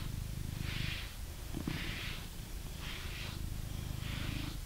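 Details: Blue British Shorthair cat in England purring steadily while being brushed, a low rumbling purr under four soft bristly brush strokes roughly every second.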